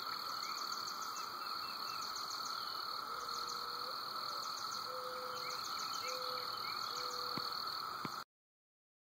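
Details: Early-morning cicadas at Woods Mill, calling at 5:15: a continuous buzzing drone layered with fast, regular high-pitched pulsing, plus several short level whistles in the background.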